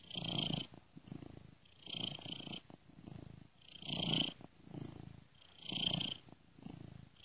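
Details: A sleeping domestic cat purrs steadily, a soft rumbling vibration swelling and fading with each breath, looped and panned ear to ear.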